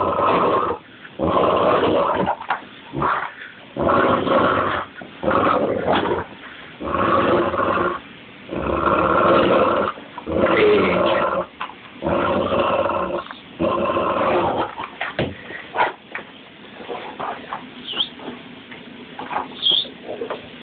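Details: Rampage, a 130-pound, two-and-a-half-year-old blue brindle Cane Corso mastiff, shaking a bike tire in his favorite game: dense bursts of rough growling in rhythmic pulses about every second, with rattling and thumping of the tire.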